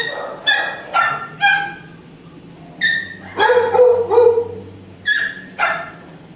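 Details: Shelter dog suffering from mange gives repeated high yipping barks, some drawn out into a whining bark, in irregular bursts with short gaps; a low hum runs beneath.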